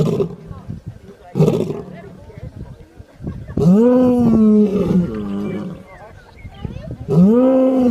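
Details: Lion snoring; short rough low pulses at first, then long drawn, tonal groaning breaths that rise and slowly fall, followed by another groan near the end.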